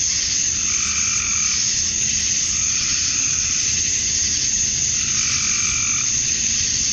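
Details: At dusk on a summer night in Georgia, USA, male cicadas drone steadily to attract females; a constant sizzling high buzz carries over fainter lower pulsing trills that rise and fall every couple of seconds.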